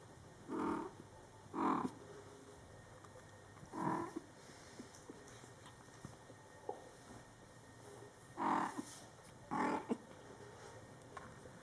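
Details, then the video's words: Coco the mother cat, caring for her Scottish Fold kittens in their first month of life, gives short, low calls in loose pairs with long pauses between them. The background is quiet. "Mom Cat Talking to her Cute Meowing Kittens"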